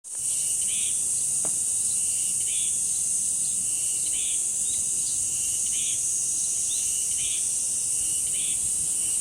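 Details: Cicadas singing at the village shrine grove of Deoksan village, a loud, steady, unbroken high shrill buzz throughout, with short repeated chirps of birds every second or so underneath.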